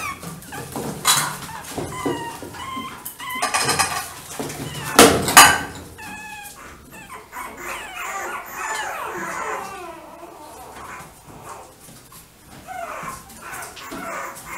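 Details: Chihuahua giving short, high, squeaky whimpers with clear ringing overtones in the first few seconds, then softer scattered squeaks among rustling and handling noise, with one sharp loud burst near the middle.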